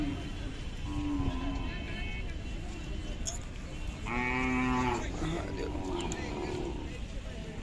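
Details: Khillar cow at the Sunday cattle market in Sangola, Solapur district, Maharashtra, 12 May 2024; a faint low moo followed by one loud, drawn-out bellow near the end, with people talking and market bustle around.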